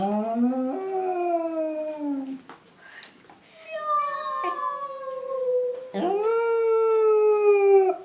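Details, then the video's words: A female English Cocker Spaniel gives long, tuneful howls that slide downward and hold steady when she hears the sound of the cat. "English cocker spaniel howls when she hears the sound of the cat"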